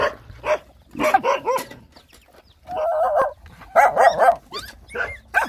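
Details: Rottweiler puppies, hungry while nursing, squeal and whine in quick overlapping bursts: short rising-falling cries, then a steadier wavering whine, followed by more tumbling squeaks.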